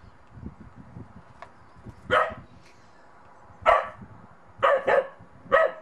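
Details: Monty, a Bedlington Terrier puppy out in the snow for the first time, barks unsure of a little snowman; four sharp barks at irregular gaps, some doubled, over faint rustling and wind.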